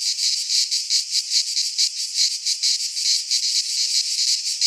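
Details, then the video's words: Cicadas singing in midsummer in a Greek pine forest: a dense, buzzy high-pitched drone pulsing in rapid throbs, about one swell per second, steady throughout with nothing else audible. "Cicadas singing in midsummer - Nature sounds from the Greek fauna - Sounds of cicadas"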